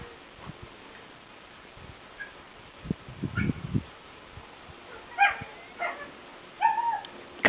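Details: Yakutian Laika puppies give short yipping whimpers, a few high squeaky cries clustered near the end, with low thumps and rustling in between.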